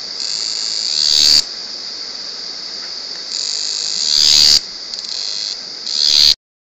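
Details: Cicada singing at very close distance, loud despite its small body: a high, hissing buzz with three swelling phrases that build in loudness and end sharply, then silence.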